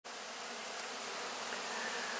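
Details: Honey bees at close range cleaning up leftover wax cappings at the end of the 2024 honey harvest; a dense, steady, even hiss-like buzz of many bees, unchanging throughout.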